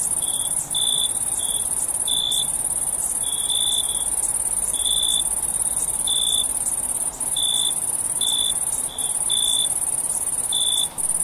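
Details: Crickets calling at night: short, bright chirps repeated irregularly about once a second over a constant high, thin whine that continues throughout.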